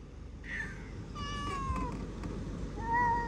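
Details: Cat meowing against a low background hum: a short high mew, then a longer meow that slides gently downward, and a final steady, clear meow near the end.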